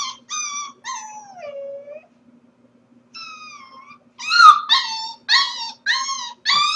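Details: Corgi puppy alone at home on a live stream while its owners are at work, 4/21: clear high whines with rich harmonics, one long falling wail, then a quiet pause and a run of sharper, louder yelping whimpers.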